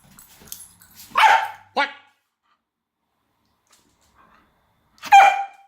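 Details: A female Kelpie playing with a toy gives a few sharp, mid-pitched barks, spaced apart with short silences between. Kelpie.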